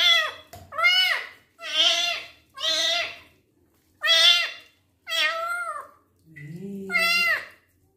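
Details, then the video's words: Twinkle, a male kitten, meowing repeatedly during his first bath while wounds, some already dry, are being cleaned indoors; seven loud, drawn-out, high meows about one per second, each swelling then falling, with brief pauses between and a low voice near the end. "KITTEN'S FIRST BATH, CLEANING HIS WOUNDS AND HE MEOWS A LOT"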